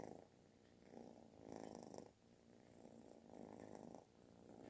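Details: Kitten purring as loud as snoring while nuzzling for affection; low buzzy purr pulsing in slow breath cycles, quieter and softer, with faint high whistly traces.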